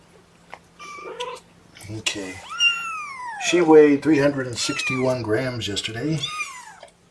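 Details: Litter of four kittens with mother Seraphina, complaining about being pottied before weighing on 2018-10-01: repeated loud, drawn-out meows that rise then sag, several in quick succession, overlapping a person talking soothingly close by.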